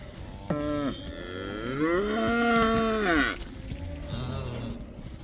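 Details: Cows in the Netherlands released back into the pasture, the cow dance; a short moo, then a long loud rising-and-falling bellow lasting over a second, followed by a softer low moo.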